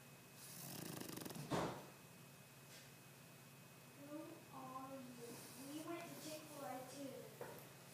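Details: A Boston Terrier snores loudly in a few raspy, snorting bursts, its eyes apparently not even closed. A person then talks softly over a low room hum.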